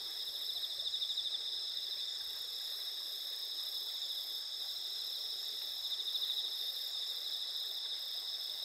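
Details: Insects singing on an autumn night among drooping rice ears and spider lilies in Asuka Village, Japan, 20 September 2021, under an almost full moon: dense, even high ringing trills with two short swells of rapid pulsed chirps.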